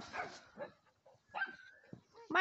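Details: A dog gives a couple of rough barks and a brief whine. Quiet gaps separate them, and a voice cuts in at the end.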